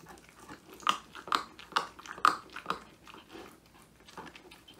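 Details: Woody, a male Old English Sheepdog born January 2019, crunches a whole quail treat, his first treat, filmed indoors on a phone; sharp bony crunches land about twice a second, each a brief crackling snap, with quiet room tone between.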